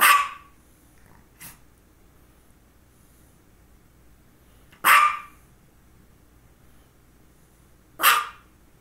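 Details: Female dog barking around two focal seizures: one loud bark, a faint short yip, then two more sharp barks several seconds apart, separated by quiet stretches.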